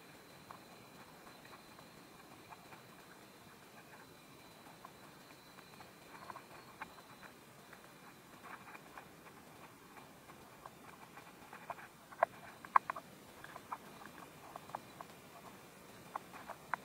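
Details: Praying mantis in Korea devouring a wasp: quiet irregular crunching ticks, sparse at first, then thicker and louder in the second half with a few sharp snaps, faint steady hum underneath.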